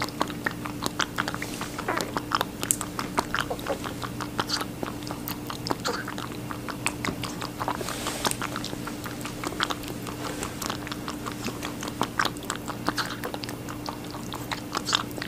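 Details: Rabbit eating watermelon, recorded close up indoors: steady rapid chewing with crisp wet crunches several times a second, occasional louder bites, and a quiet continuous hum behind.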